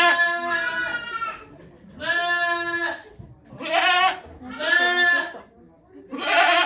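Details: Goat at Yoshigake Farm during the birth of twins by the nanny goat Okayu on 3 May 2023, watched by volunteers; five loud, harmonic, wavering bleats, each about a second long, separated by short pauses.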